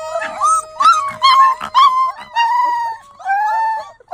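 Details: Puppies howling for the first time, several voices overlapping in short wavering howls and yips, a steady thin tone running beneath, the cries rising and falling in quick succession.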